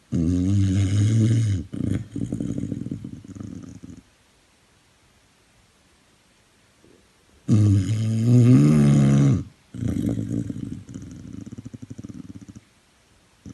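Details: Buster, a rehoming dog at Dogs Trust Leeds, sound asleep and snoring: two long rattling, growly breath cycles, each an inhale and exhale of deep buzzing rumble, separated by several seconds of silence.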